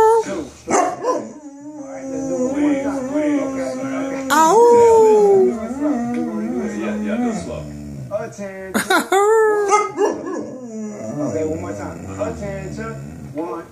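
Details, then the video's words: Cane Corso girl howling along in her blues 'singing': sustained mournful tones that rise into a bright swooping cry and then taper off, with a person talking and singing around her. "Cane Corso sings the blues"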